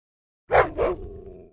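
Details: Russian dog giving a double bark, the first loud and sharp, the second quicker and softer, followed by a low lingering rumble of room echo.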